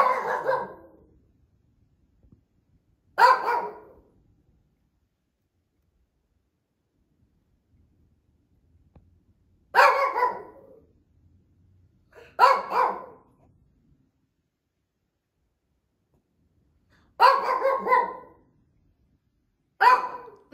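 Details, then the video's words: Older female Shih Tzu barking non-stop at home, seemingly demanding treats: six sharp single barks at irregular intervals of roughly two to seven seconds, each short and loud, with quiet between them. "cutest non-stop barking 😂 | Silly Shih Tzu dog"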